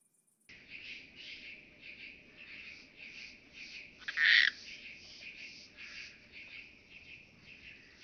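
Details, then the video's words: Eupholidoptera chabrieri bush-cricket singing at Arzo, Switzerland, on 4 August 2023, picked up with a Pettersson D 100 ultrasound detector: rapid rhythmic buzzy pulses repeated several times a second, with one louder, harsher burst midway. "Eupholidoptera chabrieri -- Grüne Strauchschrecke"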